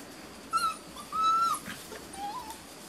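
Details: Beauceron puppies, six and a half weeks old, from a working-line litter in a new pen: thin, whistled whimpers, a short high note then a longer level one and a soft falling tail, over quiet background hiss.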